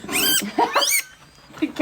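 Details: Guinea pig gives high, arching squeals, two long ones that rise and then fall, followed by shorter, softer chirps.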